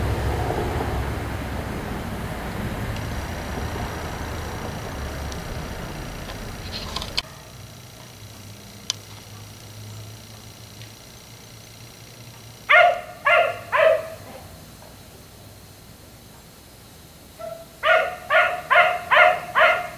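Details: Black Labrador retriever left outside until 1am, barking at night: after several seconds of low vehicle rumble that fades out, a quick run of three or four sharp barks, a pause, then five more barks in close succession.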